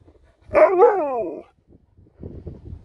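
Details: Sherpa, a talking Alaskan Malamute, gives one drawn-out, wobbling woo-woo howl lasting about a second, pitch bending up and down, then soft muffled grumbles.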